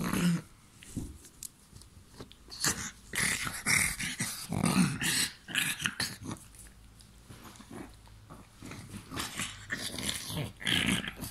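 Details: Playful pug biting during play time, giving scattered low growls and snuffles amid sharp clicks, rustling and scuffling from the rough play indoors.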